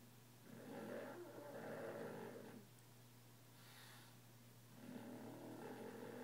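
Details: French Bulldog snoring while asleep, loud enough that its household runs a sound machine to mask it; broad rasping snores swell and fade in long breaths, with a steady low hum underneath.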